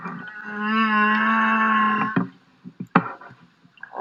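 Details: Singing humpback whale, a male, since only males sing; the song possibly serves courtship and is also sung while foraging and migrating. A long, richly harmonic moan wavers gently for two seconds, then breaks into scattered knocks and clicks.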